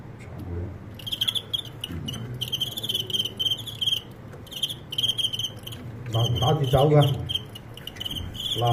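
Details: Crickets in a staged cricket fight that ended in a reversal: rapid, rasping pulsed chirps in repeated bursts, then a man speaking Cantonese over the chirping near the end, with a low background hum.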